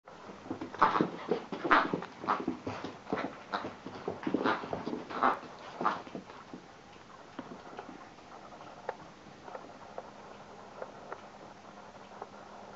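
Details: Irish Water Spaniel puppy, excited and kicking off, giving a burst of short, harsh barks and yelps in quick irregular succession for about six seconds, then quieter scattered whimpers and small noises in a small indoor room.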